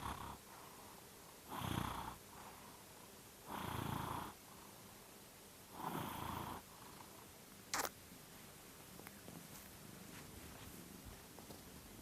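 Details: Domestic cat secretly recorded while snoring, sped up five times so it sounds like farting: three broad, noisy bursts about two seconds apart, each lasting under a second, with a sharp click near the end and a quiet room hiss.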